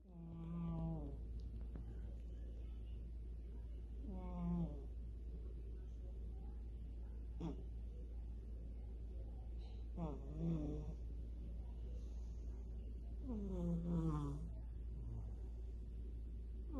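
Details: Kitten in Ukraine asleep after a tasty dinner, snoring in soft whistling, wavering breaths every three to four seconds over a steady low indoor hum.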